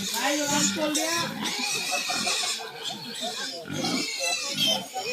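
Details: Native pigs kept on a farm in Bohol, with native chickens and a banana plantation nearby; harsh, broadband squealing in bursts, overlapped throughout by people talking close by.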